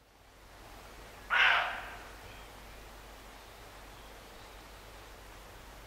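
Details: Roe deer barking near Morpeth, Northumberland, in August 2012: one loud, harsh, rasping bark lasting about half a second, followed by quiet with a steady low hum in the background.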